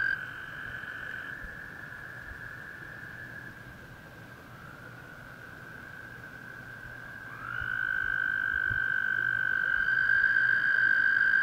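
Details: Toads calling at Clear Creek Reservoir in South Mountains State Park: a long, steady, high musical trill holds for several seconds and softens, then a louder trill takes over near eight seconds, with several callers overlapping.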